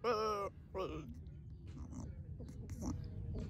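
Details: Goat giving a loud, quavering, wavering bleat lasting about half a second, then a shorter second bleat, followed by softer murmuring sounds in a small space.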